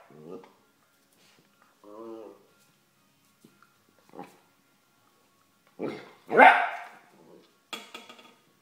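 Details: Vizsla and a broom: scattered short grunts and a brief harmonic growl, then a loud, sharp bark followed by a quick softer yap, with faint human voice in between.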